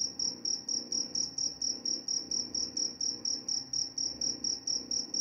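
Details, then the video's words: A cricket's shrill tonal chirps, each short burst evenly spaced at roughly three per second, ringing steadily above a faint murmur; shared as sleep sound and mouse deterrent. "Suara jangkrik pengantar tidur dan juga mengusir tikus."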